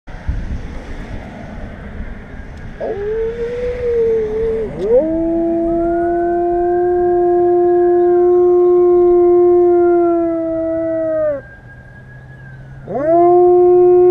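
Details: A male German Shepherd gives long, steady howls, each held for several seconds before dropping away; he likes to howl at sirens.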